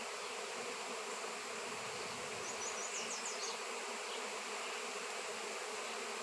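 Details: A swarm of honey bees drawn to a raw 7 lb shungite piece hums in an unbroken, even buzz; brief faint high twittering appears around the midpoint.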